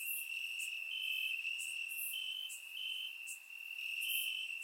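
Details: High, even trilling of crickets in grass during a warm summer night in Bulgaria, with periodic short brighter chirps overlapping the steady chorus; surround microphone recording.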